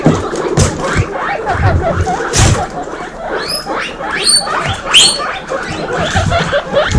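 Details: A group of baby guinea pigs, all female, wheeking loudly; overlapping upward-sweeping whistled squeals rise in quick succession over a steady chatter of lower chirps and soft bumps.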